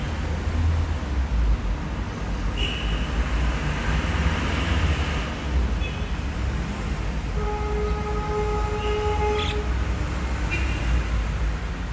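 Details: A heavy low rumble of a passing train runs throughout, with a steady horn-like tone midway and no clear animal calls.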